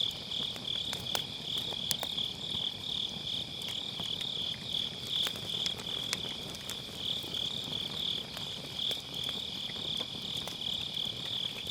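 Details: Grass insects on an autumn night beside a round fire-pit campfire, recorded with a Sennheiser MKE600 using low cut: a steady, high, pulsing trill holding one pitch throughout, with sparse sharp crackles of burning firewood.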